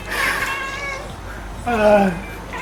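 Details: Neutered male Russian Blue house cat reacting to a fly seen for the first time: two drawn-out tonal cries, the second louder, falling in pitch, with a person's voice nearby.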